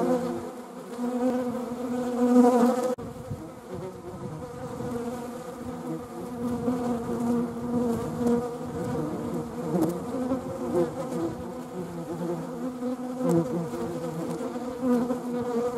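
Honeybees fill the air with a continuous low hum, a buzzy tone layered with overtones that rises and dips as individuals fly nearer or away. Wasps may be mixed in among the droning swarm.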